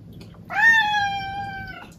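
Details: Indoor domestic cat giving one long drawn-out meow, a sharp rise then a level, slowly falling tone lasting over a second, strongly harmonic, over a faint low hum.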